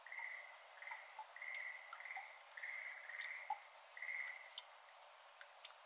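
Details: Schlegel's green tree frogs, endemic to Japan, heard in May at 6:53 pm at a flooded iris garden; faint distant pulsed croaks repeated in short bursts, with scattered water drips falling into the water.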